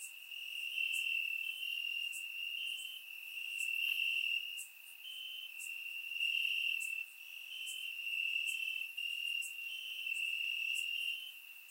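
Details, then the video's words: Summer-night crickets chirping in grass in Bulgaria, surround microphone: a bright, continuous high-pitched trill that swells and fades every couple of seconds, with faint regular ticking above. "Cricket Sounds - Crickets Chirping at Night"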